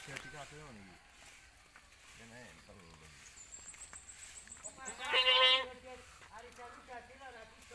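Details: Domestic goats on a village farm where four does gave birth to nine kids within one week; a single loud, quavering bleat rises midway, with people talking in Javanese before and after.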